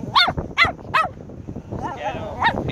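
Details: Chihuahuas hunting crabs give three sharp, high yapping barks about every 0.4 seconds, followed by softer voices and murmuring.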